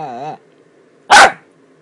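A Miniature Dachshund gives a wavering, nasal whine, then after a pause a single sharp bark.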